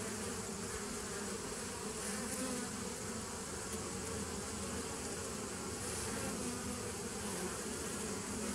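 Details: Constant buzzing of bees, dated 27 September 2018: a steady mass of humming at an even level with slight brief swells in the higher hiss.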